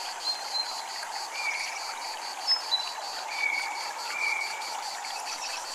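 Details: High, quickly pulsing cicada buzz keeps a regular beat at a Japanese temple, beneath steady water noise and a few clear, sustained chime notes.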